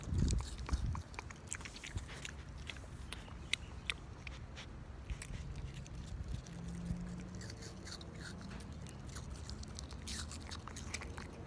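A pig crunches and chews an apple with wet, irregular bites and snaps, close up in a small room.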